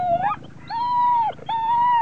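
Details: Adult female Vizsla, five years old, vocalizing from excitement before lure coursing: a short rising whine, then two sustained, steady, high-pitched whines, each lasting about half a second.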